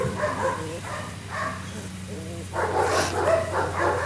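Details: Phoebe, a six-week-old female Dutch shepherd puppy, doing her first bite work test. Irregular short, high yappy barks and yips come in bursts, louder toward the end, over a steady low hum with people's voices mixed in.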